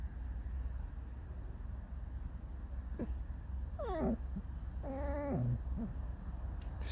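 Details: A red fox kept as a pet sings a mournful, creaking song at home: a few quick wavering whines, then a longer wailing cry sliding downward, with a constant low background hum.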